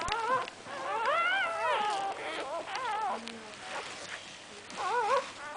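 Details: Newborn Cocker Spaniel puppies give high, wavering whimpers and squeals that rise and fall in pitch.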